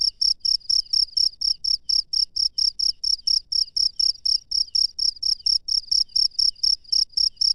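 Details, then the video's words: A cricket calls at night in the wild, producing a steady train of piercing, high chirps around two per second, rhythmic and unbroken, with a soft low hum beneath. "SUARA JANGKRIK LANGSUNG DARI ALAM LIAR DI MALAM HARI"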